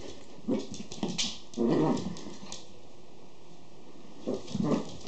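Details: Schipperke puppies giving soft, low, muffled grunting whimpers in short bursts, a cluster early on and another pair near the end, over a steady background hiss.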